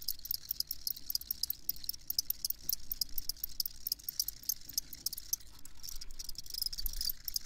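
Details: Shrill cricket chorus of quick, irregular chirp pulses sitting high in pitch, with occasional brighter tonal notes, over a quiet low hum.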